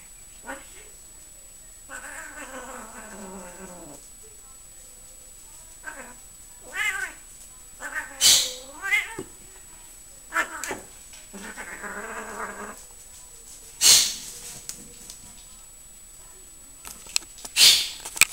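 A Siamese cat gives loud, drawn-out, wavering meows with rising and falling pitch.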